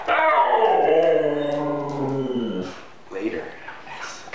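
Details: Excited pet Siberian Husky before a walk gives a long, sliding howl-moan that wavers and falls over about two and a half seconds. A man's voice follows, then faint singing.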